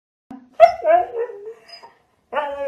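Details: Siberian Husky vocalising in a drawn-out, wavering 'talking' moan that slides up then down over about a second, followed by a shorter second phrase after a pause; music plays in the background.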